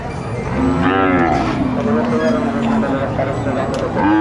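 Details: A long, low, wavering moo from bulls at the El Tiangue livestock market in Nueva Guadalupe, El Salvador, held for nearly two seconds amid crowd chatter and faint music.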